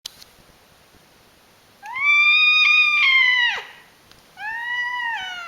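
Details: Domestic cat screaming indoors: a long, strained, harmonic yowl of nearly two seconds that holds steady and then drops sharply at its end. A brief pause follows, then a second, shorter yowl that slides downward. The room is otherwise quiet.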